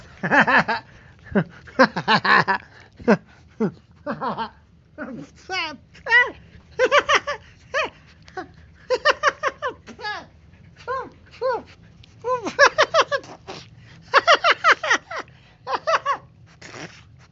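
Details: Husky puppy Ira playing indoors, making a long series of short yelping, whining and grumbling vocalizations in bursts with rising and falling tones, while a person speaks and laughs in a small room.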